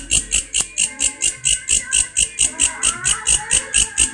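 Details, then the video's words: Grasshopper with an unusual call: sharp, high-pitched pulses repeated steadily about four times a second, each showing a bright upper band and a lower band, over soft low thumping in the background. "Belalang bersuara ANEH"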